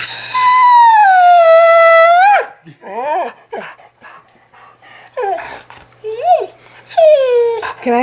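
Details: Female Australian Shepherd crying in mock fear as her owner teases about stealing her tongue; a long, steady, falling whine-howl opens, then short quivering whimpers and another drawn-out wail, with a man's teasing voice in between.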